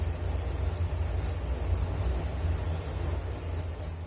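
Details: Crickets chirping steadily in a relaxing nature recording, a continuous high, shrill pulsing band with a fainter higher overtone, broken into quick rapid pulses, over a low steady rumble.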